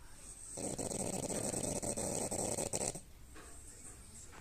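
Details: A female French Bulldog gives one long, raspy, rattling snore, then goes quiet.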